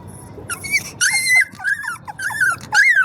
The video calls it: Sound of Newborn puppy 🐶